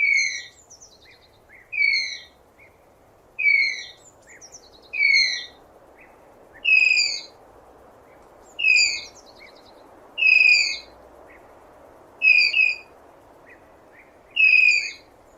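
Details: Tapir in its natural habitat giving shrill, whistled squeals, each about half a second, bright with harmonics and sliding slightly downward, repeated roughly every 1.7 seconds, nine in all, over a steady low background hiss.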